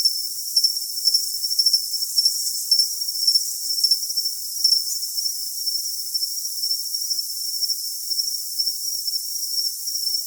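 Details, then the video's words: Cricket with pulsed high chirps in bursts for the first five seconds, then settling into a smooth, steady shrill trill; all low sound is filtered out. "Cricket Sound for Tinnitus Masking"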